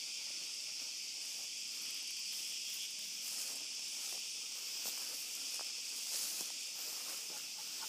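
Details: Cicadas calling at night in an olive grove during a dog walk: a dense, unbroken high hissing buzz from many insects holds steady throughout, with faint scattered clicks and footstep-like taps underneath.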